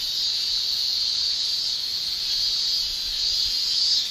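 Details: A summer chorus of male cicadas in Japan: one continuous, piercing high shrill from the tymbals, even in pitch and almost unchanging in volume across the whole stretch.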